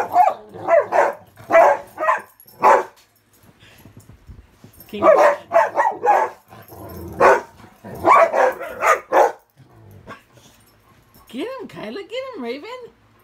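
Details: Indoor bed game of king of the hill among three dogs, Ravyn, Kyla and Knight, with Ravyn's high-toned playing bark; clustered barks in three bursts separated by short gaps, ending in a wavering whine.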